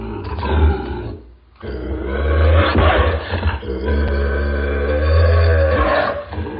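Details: Bobcat snarl: a short gravelly growl, a one-second gap, then a long continuous rasping snarl swelling and easing over five seconds, deep and rumbling underneath.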